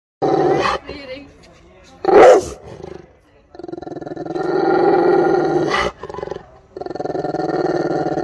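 A Rottweiler growls in long, rumbling bursts that rise and fall like an idling motorbike engine.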